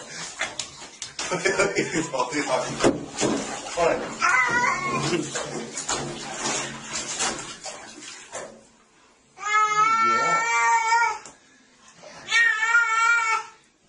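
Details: Domestic cat in a funny cats compilation gives two long, drawn-out wailing meows near the end, each about a second, after a stretch of running water and a person speaking soothing words about the water.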